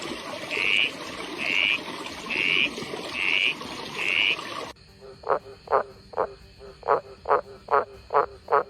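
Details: Frog calls: short high chirps about once a second over a steady hiss of background noise, followed by a cleaner passage of brief, rasping pulsed croaks given in quick pairs and runs.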